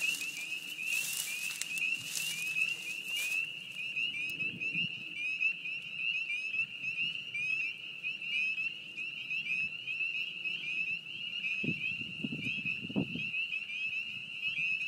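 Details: A dense spring chorus of spring peepers at a beaver pond, countless high, piercing peeps merging into a steady shrill ring.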